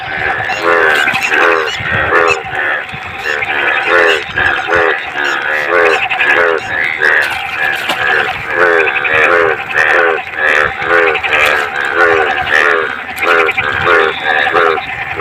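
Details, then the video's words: Dense frog chorus from clean water in the Bhado rainy season. Many overlapping harmonic croaks pulse rapidly and continuously, forming a thick, droning mass of calls with a faint noisy background. "मेंढक का रियल आवाज"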